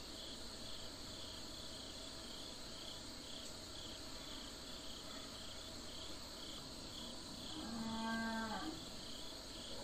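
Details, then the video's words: Domestic cattle on a farm giving a single short moo, low and steady with a harmonic stack, lasting under a second near the end, over a constant high insect chorus of crickets throughout. "Cow Calling / Mooing / Sound & Behavior"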